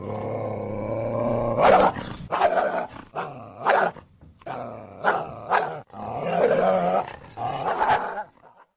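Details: North American coyote giving a low, harmonic growling whine that breaks into a series of short, rough barks and yelps, spaced about half a second to a second apart.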